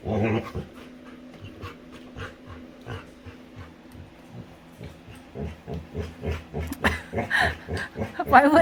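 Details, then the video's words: Playful female Labrador retriever at home with her owner; a long series of short, low growly grunts in quickening rhythm, building louder toward the end, with faint speech. "Cutest Dog Makes Funny Sounds While Playing"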